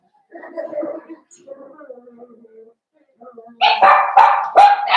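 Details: Young blenheim Cavalier King Charles Spaniels from a New Year's litter of five, kept in a home puppy pen. Soft, low murmuring whines give way to a sudden run of loud, shrill yips packed tightly together near the end.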